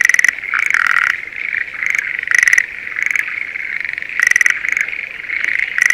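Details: Schlegel's green tree frogs in breeding season, calling from a spring rice paddy near Sendai, Japan; loud bursts of rattling, clicking notes over a steady chirring chorus, with short pauses between calling bouts.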